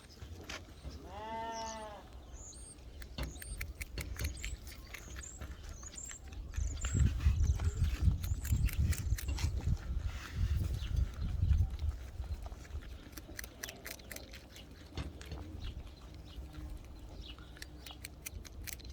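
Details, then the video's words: Carrot-chewing coypu (nutria) filmed 20 April 2021 at Mini Zoo "Atomi" in Liepāja, Latvia: rapid, steady crunching clicks fill most of the recording, louder in the middle, with a brief voice and faint chirps early on. "Coypu (Nutria) chewing carrot - funny sounds"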